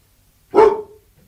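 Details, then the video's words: A single Labrador Retriever bark, short and loud with a strong mid-pitched core, stopping abruptly in an otherwise quiet setting. "LABRADOR LATINDO 🐕 LATIDO DE CACHORRO 🐕 SOM DE CACHORRO🐕 LABRADOR DOG BARKING"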